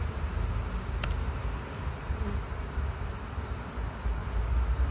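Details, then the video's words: Bees entering their hive: a steady, low, droning buzz fills the whole recording without pause, with only a brief sharp click near the first second. "Bees entering the hive"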